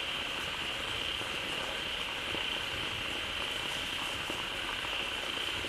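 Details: Frogs gathered in a pond as fresh water tumbles in from a waterfall, all calling loudly together; a dense continuous chorus with a sustained high buzz, grainy crackles and a soft low rumble of flowing water.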